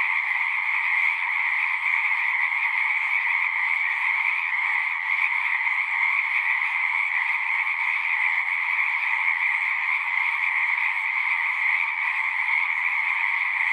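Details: Chorus of frogs at a horse-pasture pond, recorded with a Zoom 6: an unbroken, dense trilling din, high and even in level, with no other sounds standing out.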